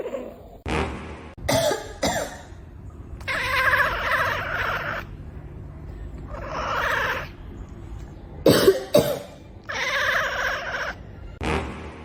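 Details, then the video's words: Domestic cat making weird coughing noises: repeated harsh, raspy bursts of about a second each, alternating with short sharp clicks. "Weird Sounds From Cats"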